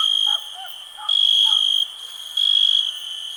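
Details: Cricket chirping in a high, steady ringing tone, swelling into louder pulsed bursts about every 1.3 seconds, with soft lower chirps from other callers in the background.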